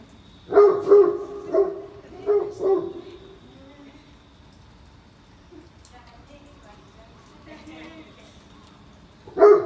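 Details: Great Pyrenees, a very large dog breed, on a rainy morning walk, giving a quick run of about five deep barks within three seconds, then a pause with faint background sounds and one more loud bark at the end.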